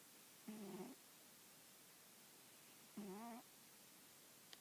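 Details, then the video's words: Sleeping female house cat dozing on an old newspaper, head on an arm; two buzzy, harmonic snore breaths roughly two and a half seconds apart against near silence indoors. "Taika the snoring cat"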